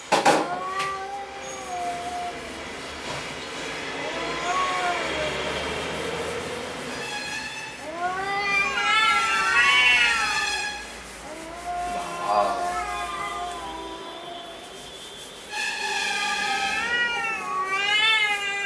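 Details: Angry domestic cat in a fighting mood, giving long wavering yowls that rise and fall in pitch, several drawn-out calls with pauses between, low tonal moans in the gaps, faint voices of people in the background.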